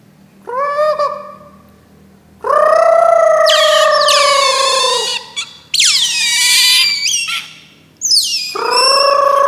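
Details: Otter (berang-berang) with a short chirp, then long steady whining squeals broken by shrill high-pitched shrieks, ending in a descending cry that levels into a sustained whine.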